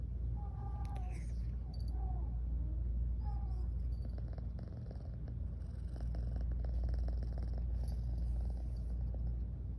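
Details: Garfy, a female pet cat, keeps yawning and purring while sleepy; a dense, even low purr rumbles for the full length, with a few short high squeaks early on.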